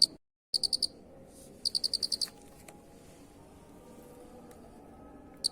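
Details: Cricket giving two bursts of sharp, high pulsed chirps, one of three pulses and one of six. A long quiet stretch follows with low background noise, then one last click at the end.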